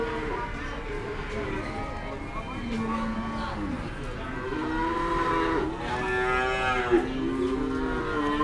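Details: Several cattle lowing at the Kliwonan cattle market in Kediri Regency, East Java: overlapping moos of varied pitch, some rising and some falling, over a busy background murmur of the market.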